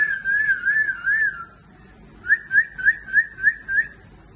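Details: Pembroke Welsh Corgi puppies about one month old in Seri Kembangan, Malaysia, whining in high, thin, wavering tones, first drawn out, then in quick repeated squeaks.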